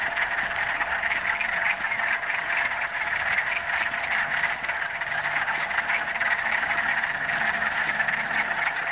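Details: A dense mating chorus of frogs in a marsh at Mills Block Forest, Thunder Bay: countless trilling voices blend into one steady, shimmering drone.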